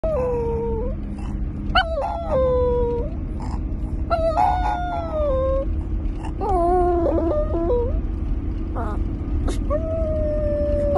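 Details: Papi Chulo, a pet Chihuahua, howls during a morning ride home, with drawn-out wavering howls that rise and slide down in several bursts over a steady low engine rumble.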